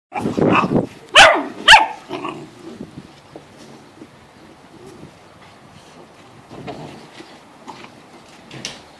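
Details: Seven-week-old Great Dane puppies playing together in a crate: a burst of short, high yelps and whines in the first two seconds, then quieter scuffling and faint squeaks until a final brief yip.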